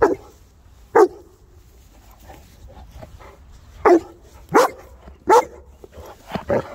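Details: Three Boerboels, South African mastiffs, playing together; short deep barks at about one, four, four and a half, five and a third and six and a half seconds, separated by quiet gaps with faint low background rumble.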